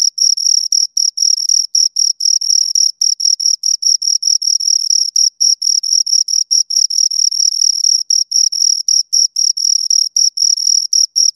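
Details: Two crickets stridulating continuously: a fast, even series of shrill chirps, close to four per second, the two callers' pulses sometimes running together into longer bursts, otherwise quiet surroundings.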